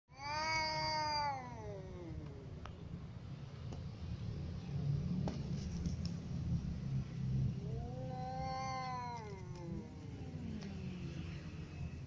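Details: Little cat and adult cat together: a long, wavering, drawn-out meow that falls in pitch at the start, a second similar meow about seven seconds later, and a steady low hum throughout.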